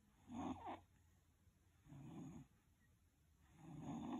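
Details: Twelve-year-old West Highland White Terrier snoring while dreaming in its sleep, 1/12/2020: three low, rough, buzzy snores, each roughly half a second long and about one and a half seconds apart, in a quiet indoor setting.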